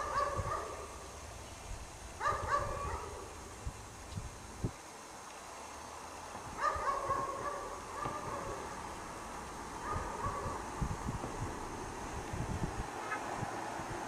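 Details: Dog chained outside in the snow, barking through the day; distant barks arrive in short clusters every one to two seconds, separated by pauses, over steady low-pitched ambient noise and occasional clicks.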